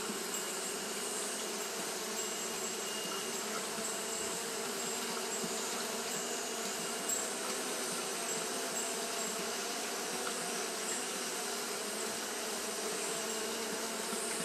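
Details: Japanese honey bees fanning nonstop in hot weather; a flat, continuous buzzing hum, slightly softer in its low tone, with a steady high hiss running alongside.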